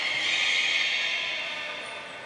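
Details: Captive beluga vocalizing during training with Gray, Nana and Mirai, Port of Nagoya Public Aquarium, 6 August 2023: a sustained high, bright tonal whistle with stacked overtones. It sags gently and fades over two seconds.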